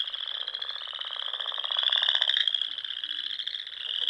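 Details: Chorus of spring frogs at dusk in the Nebraska Sandhills: fast, rattling high trills blending into a continuous buzzing wall of sound, with one louder rapid trill swelling in the middle.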